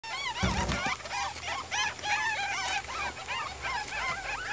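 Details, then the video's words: Two-week-old baby ferret kits calling together: many overlapping high, wavering squeaks and chirps, rising and falling in quick succession, a dense continuous chorus of young voices. "Ferret babies at two weeks"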